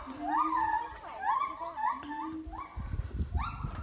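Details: In the morning at a zoo, very loud captive siamang gibbons give a series of rising whooping calls, each sliding upward in pitch, with a lower droning tone beneath.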